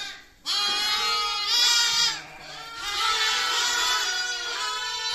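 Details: Lamb bleating in long, wavering, nasal cries with rich overtones, several overlapping calls forming a continuous chorus after a brief quiet start.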